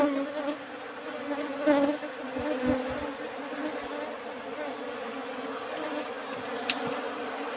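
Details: Asian honey bees (Apis cerana) kept in an old-style hive box, heard during a honey harvest: a steady, droning hum with layered overtones, broken by a few soft knocks and one sharp click.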